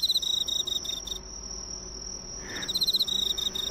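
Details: On an autumn night, a cricket trills in rapid, pulsed bursts of high chirps, over another insect's steady, unbroken whine.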